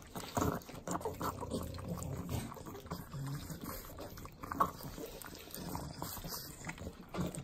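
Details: Three pug dogs lick butter in Southern California's Inland Empire; wet, liquid slurping and lapping with low snuffling grunts, louder smacks scattered through the clip.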